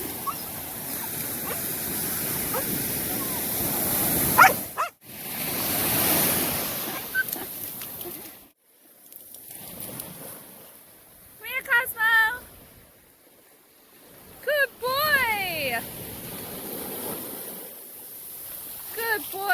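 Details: Australian Shepherds, one of three, at the beach on a Sunday after swimming in the ocean for the first time. Two bursts of high, wavering whining whimpers with rising and falling pitch, after loud surf and wind rumble.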